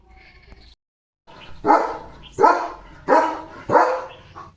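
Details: Leo, a pet German Shepherd, playful at home after grabbing a slipper; four loud, deep barks about every 0.7 seconds, with a softer note before them.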